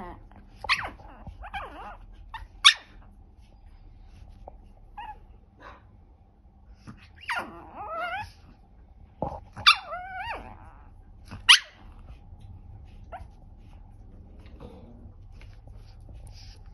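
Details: Chihuahua 'talking' indoors, recorded 3 March 2024: scattered short yips and wavering, sliding whine-moans in brief bursts separated by long pauses, with a soft background hum.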